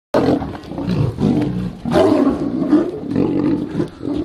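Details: A Siberian tiger fighting a liger at a Russian zoo roars and snarls harshly in deep, rasping, overlapping bursts.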